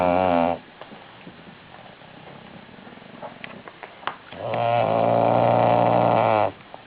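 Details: Didi, a female bulldog, snores loudly: the tail of one buzzing snore, a few seconds of soft, crackly breathing, then a long, steady, droning snore about two seconds long.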